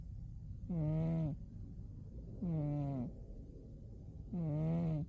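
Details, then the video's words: Umi the cat, asleep in winter, snoring: three low, droning, harmonic-rich snores, each lasting about half a second and coming roughly every two seconds, with quiet breathing pauses between them. "Umi the cat winter zonks and snores"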